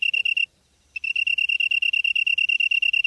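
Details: Insect calling from the grass on an early September evening in Namyangju, Gyeonggi-do, Korea: a clear high chirp pulsing rapidly and steadily, about three pulses a second, with a short pause near the start.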